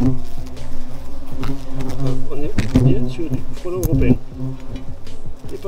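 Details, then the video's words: Hornets at a nest hidden under insulation: a dense, loud, low droning buzz with steady harmonic layers and pitch that wavers and swoops as insects move, with scattered clicks and knocks throughout. "NID de FRELON sous l'isolation"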